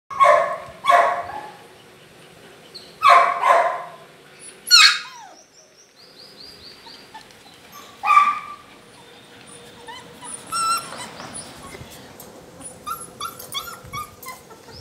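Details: Black and white Labrador Retriever puppies, male and female, in Punjab: about six sharp, loud barks, some in quick pairs, spread over the first eight seconds, then softer high whimpering squeaks and chirps near the end.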